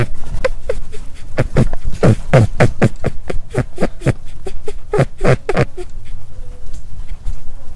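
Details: Rabbit making a quick run of short, low grunting pulses, bunched into uneven bursts of several beats each second over about six seconds, then tapering off into quiet background hiss.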